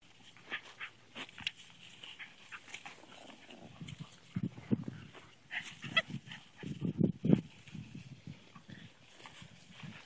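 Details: Patty, a Patterdale Terrier mother, plays tug-of-war with her 7-week-old puppies. Short, low, rough bursts come irregularly and thicken midway, mixed with scuffling and a person's voice.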